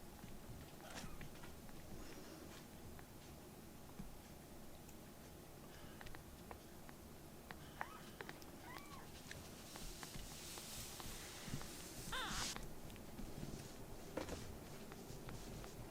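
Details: Rescued kittens fostered indoors, a volunteer-run shelter litter learning to become house cats; a few brief, faint high mews stand out among soft clicks, chewing and handling noises in a small room.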